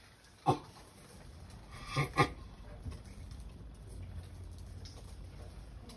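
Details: Mating sulcata tortoise giving one short harmonic grunt, then a quick pair of grunts about 1.5 seconds later, with a steady low background hum.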